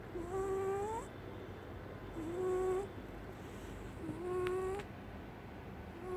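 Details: Red Persian cat snoring while asleep and dreaming: slightly rising, whistle-like nasal tones, each about a second long, come roughly every two seconds in a quiet room.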